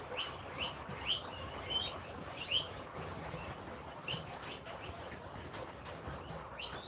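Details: Guinea pigs at a rescue wheeking impatiently while waiting for food at dinner time; short high rising squeals come in spaced bursts roughly every second, fading later among soft background noise.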